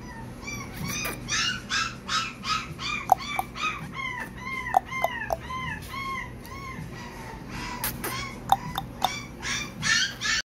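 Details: Blue-and-white British Shorthair cats give many high, arched, overlapping mews in rapid succession throughout, with occasional sharp clicks and knocks.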